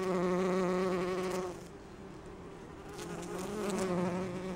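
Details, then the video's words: Bee on rhododendron flowers collecting pollen, similar to Bombus ardens or Bombus ignitus: a strong, low, humming buzz for about a second and a half, then it fades to a softer drone and swells again toward the end. "ツツジの花を巡るハチ1 Bees gathering pollen on Rhododendron"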